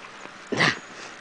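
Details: Female Silky Terrier puppy on its first day at home, playing indoors, lets out a single short, high yelp lasting about a quarter second against quiet room noise.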